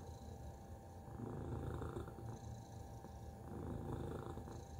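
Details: A low, grainy purr from Tacy the cat, swelling louder midway and again toward the end, continuous without breaks, over a faint steady background hum.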